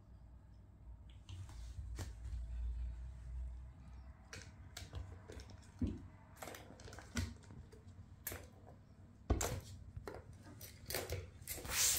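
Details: A quiet indoor room with scattered light clicks, taps and rustles, and no animal voice.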